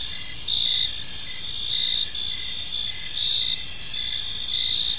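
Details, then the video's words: Park crickets in the evening keep up a bright, even trill at high pitch. Lower chirps pulse beneath it in a loose rhythm of about one per second, with no other sounds present. "Cricket Sounds in a Peaceful Park"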